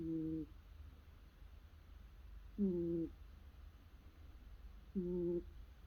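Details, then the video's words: Curled-up domestic cat snoring softly while asleep: three short, low, buzzy tonal snores roughly every two and a half seconds over a quiet indoor hush. "Cat Curled Up Sleeping Snoring Sounds"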